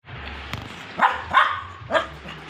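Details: Pet dog crying even though it has already eaten: three short, sharp yelping cries within a second, over a low steady hum.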